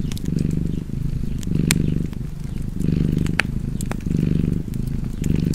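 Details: Purring cat by a fire, its throaty vibrating hum alternating between inhale and exhale phases, a few loud crackles from burning logs punctuating the steady drone.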